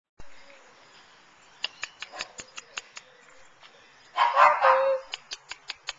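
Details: Nine-week-old puppies of Pearl and Flash, recorded September 20, 2009: sharp tapping clicks, then one loud, rough, high yelping bark that ends in a short whine, then more clicking.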